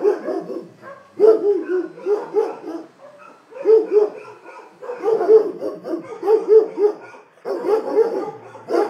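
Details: Several dogs barking together, bursts of overlapping sharp barks coming in uneven clusters with brief quieter gaps, some yelping higher notes mixed in.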